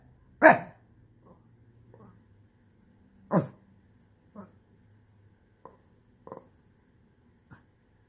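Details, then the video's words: Frustrated Shih Tzu indoors, upset at losing its spot on the couch: two loud yelping cries a few seconds apart followed by softer short whimpers and grumbles. "Shih tzu throws tantrum...."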